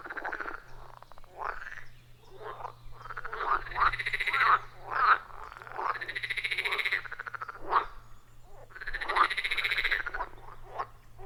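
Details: A chorus of wild frogs at a quiet forest pond, recorded deep in the forest with an iPhone 14 Pro and Shure MV88+: rhythmic, pulsed croaking trills swelling and fading, several voices overlapping continuously, with a faint low hum beneath.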